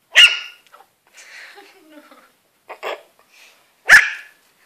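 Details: Shetland Sheepdog puppy barking at a cat, two loud sharp barks several seconds apart with a man's voice and faint whining in between.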